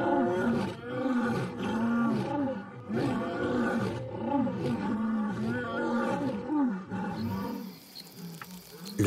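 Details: A group of wild lionesses roars in unison to drown out and silence two rival brother males; rhythmic, descending moaning roars repeat about once a second, then fade into quieter rustling near the end.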